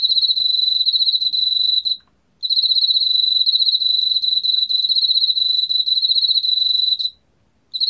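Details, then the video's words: Korean field cricket in a 2020 National Institute of Biological Resources recording: a steady high pulsed trill running nearly two seconds, a short silent gap, then a long unbroken train of rapid chirping pulses, with a faint quiet background. "왕귀뚜라미, 여러번 듣기, 곤충소리"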